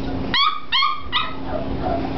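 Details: Five-week-old Springer Spaniel puppies yipping: three short, high, clear yelps about half a second apart, then quieter whimpers fading out, over faint background noise.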